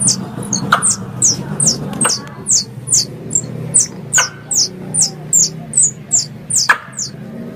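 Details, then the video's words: Squirrel sound intended to attract squirrels for hunting: rapid, evenly spaced high-pitched chirps with a falling slur, about two per second, with occasional sharp clicks over a soft low rumble. "Suara Tupai 3 In One Terbaru Sebagai Penyempurna Suara Pancingan Tupai"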